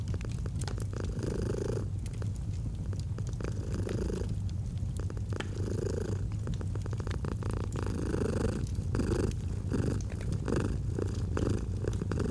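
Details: A pet cat's soft, rhythmic purr, low and throbbing, rising and falling with each breath, while a crackling fire snaps and pops in the background of a cozy autumn scene.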